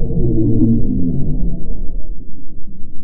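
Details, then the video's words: A blue whale gives a deep, rumbling low-frequency call that drones with slightly wavering pitch, recorded by hydrophone; blue whales call across hundreds of miles of open sea. "Large whales tend to make sounds that are quite low and rumbly."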